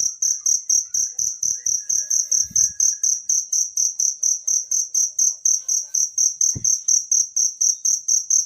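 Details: Cricket singing in the wild, meant for songbird training: an unbroken train of piercing, high chirps at a brisk, even pace. Quiet low rumbles and one sharp thud near the end sit beneath.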